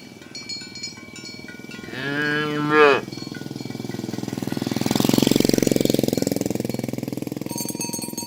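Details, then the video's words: Tame cattle herded along village roads toward the pen in the morning: one rising-then-falling harmonic moo lasting about a second, then a steady mechanical rumble like an engine, with faint clinking earlier. "Asmr Sapi Moo | Suara Moo"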